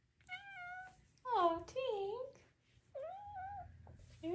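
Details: A 5-month-old female Maine Coon kitten, near feeding time and apparently hungry, gives a run of chirpy, wavering meows and trills in quick succession, also purring.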